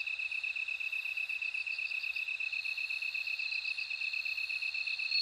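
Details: Bell crickets in a nature recording: short bright ringing trills pulse high above a steady, rapidly beating lower chirp from another insect. The chorus is dense and continuous, with no other sounds.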